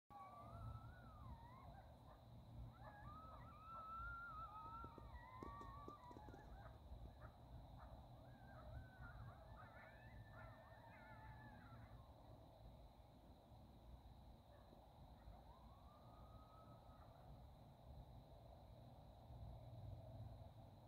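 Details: Wild coyotes in northern California at sunset, after a quick dinner: a chorus of wavering, yipping howls that rise and bend in pitch, overlapping for the first half then trailing into a single later howl, over steady low rumble and wind.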